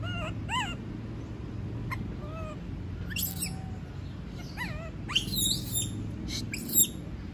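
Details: A monkey unwilling to be left alone makes whining, arched whimpers that rise and fall in pitch, followed by a few sharper, higher squeals near the end, over quiet background noise.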